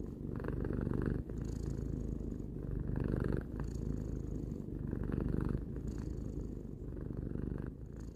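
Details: Tarou, a three-year-old pet cat, purring steadily indoors: a low continuous rumble that swells and eases in alternating breaths roughly every one to two seconds, with no other sounds.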